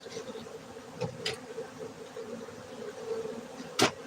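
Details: Honey bees at a honey bee farm in Bener Meriah, Gayo, Aceh, Indonesia, kept for honey: a steady, low droning hum runs throughout, broken by a few sharp knocks and clicks.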